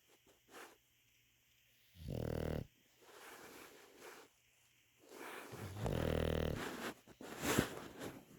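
An English Bulldog snores with deep, rasping, rumbling breaths in long, uneven bursts.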